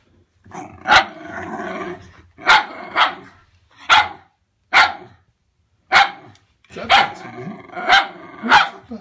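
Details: Winnie, a Wire Fox Terrier, barking at Bertie, a pull-along toy Wire Fox Terrier: sharp barks in pairs and singles roughly every one to two seconds, with growly, harmonic stretches between them and no other clear sounds.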